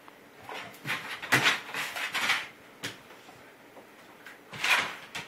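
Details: Dog named GiGi sneezing during play-boxing with another dog, Rudie, indoors, phone recording: several short breathy bursts of snorting and sneezing sounds, strongest near the start and again near the end, with scuffling between them.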